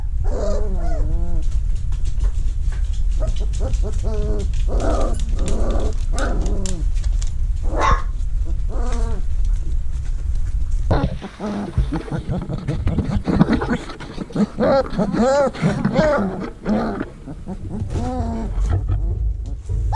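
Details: Vizsla puppies in a whelping box in early October 2020, while it is being cleaned and vacuumed; repeated high, wavering whines and squeals over a steady low machine drone.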